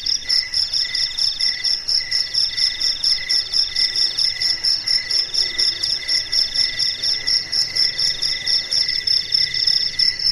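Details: A chorus of crickets singing sweetly through a quiet night: continuous high trilling in stacked bands, pulsing roughly twice per second, with faint background hiss and nothing else.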